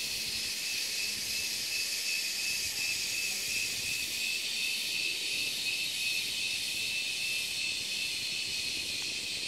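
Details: Cicadas singing during mating season give a steady, shrill, hissing drone that never pauses.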